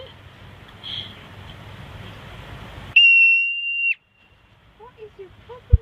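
A marmot gives a single loud, piercing whistle, held steady for about a second.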